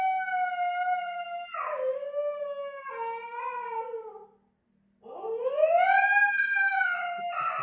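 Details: Dramatic female Husky vocally protesting to her owner, demanding attention; a steady held tone that slides downward into lower wavering moans, a brief silence, then a rising, arching howl that falls away, with a faint low hum underneath.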